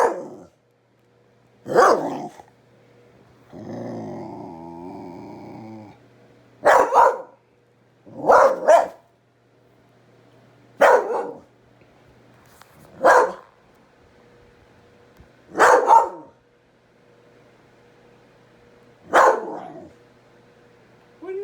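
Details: A pet dog repeatedly barks at a kitten: sharp, harsh barks, some in quick doubles, spaced one to three seconds apart, with a drawn-out groaning growl early on and a faint background hum.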